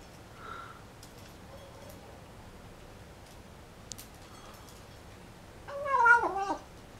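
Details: American Shorthair kitten bred for folded ears, first meal on its first day at home in Taiwan: faint murmurs early on, then one loud quavering, whining cry near the end amid soft eating clicks.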